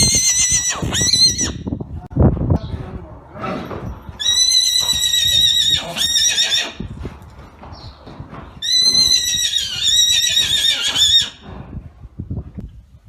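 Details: Arabian horse whinnying three times: long, high, shrill calls with a shaky, quavering tone and a falling drop at the end, separated by quieter gaps with faint low sounds.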